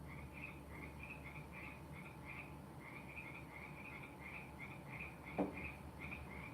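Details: Frogs back at the end of frog season, heard faintly in the background: a steady chorus of short chirping notes, about three per second, over a low constant hum, with one soft click.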